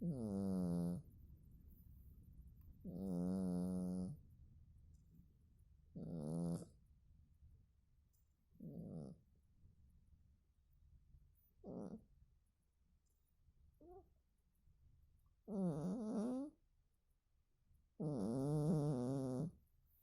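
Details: Domestic cat asleep and snoring: about eight low, rough snores over twenty seconds. They vary from long drawn breaths to short faint puffs, and the loudest come at the start and the end.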